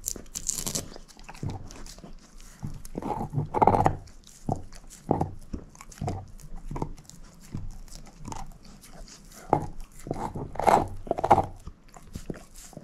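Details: Female shepherd mix Moose works at a bone with scattered crunchy bites and clicking jaw snaps, in short flurries separated by quieter gaps of steady gnawing.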